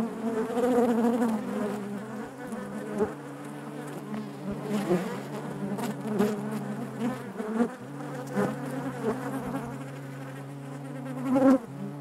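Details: Steady droning of honey bees in their hive, a rich low buzz with several sustained pitches, swelling at the start and again near eleven seconds when a bee buzzes loudly close by.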